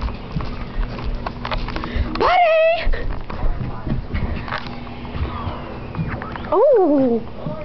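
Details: A pet dog running wildly around a living room gives two loud, harmonic yelping barks, the first rising and holding steady, the second sharply peaked then falling, over a constant low indoor hum.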